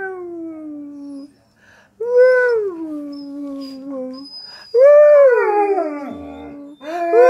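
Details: A German Shepherd "sings" when asked to sing for its owner, howling in long, wavering tones that rise, then slowly slide downward.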